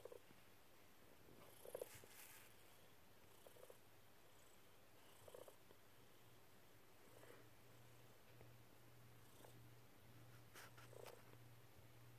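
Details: Dexter, a snuggly pet cat, lying on a lap making happy paws: a steady low purr hum throughout, broken by short chirpy bursts roughly every two seconds, the loudest near the two-second mark.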